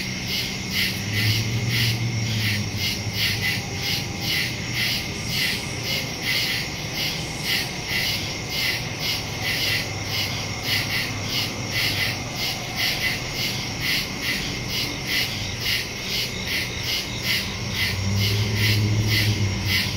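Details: Night woodland chorus of crickets, captured on September 2, 2023 with a phone and stereo mic; dense rapid pulses, about two a second, over a steady high trill, with soft low rumbles near the start and end.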